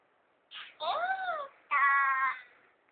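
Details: A cat gives a short bending meow that rises and falls, then after a brief gap a louder, steadier drawn-out meow, with quiet room sound between.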